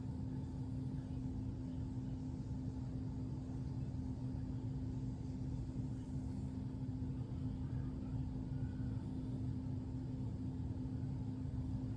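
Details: A steady low electrical hum over rumbling background noise, unchanged from start to finish.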